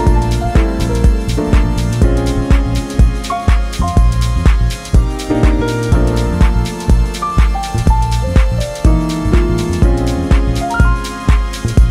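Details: Upbeat electronic music with a steady beat, bass and bright melodic keyboard notes throughout.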